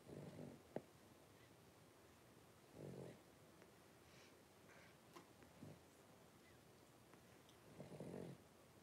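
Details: Three-week-old blenheim Cavalier King Charles Spaniel puppies, a litter of five, in an indoor puppy pen. Three low, rough, snore-like bursts, each about half a second long and widely spaced, with faint rustling in between.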